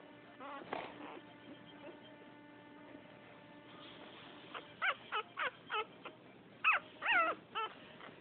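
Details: Pouting female French Poodle puppy from a second litter, with a steady tonal hum at first, then a quick series of short, high whimpering yips about every half second.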